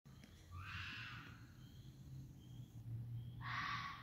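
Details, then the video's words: Red foxes of a neighborhood fox family out for a ramble at night, giving harsh, raspy, broadband screams: one long cry early on, then a second louder one near the end, over a low steady background rumble. "Fox sounds"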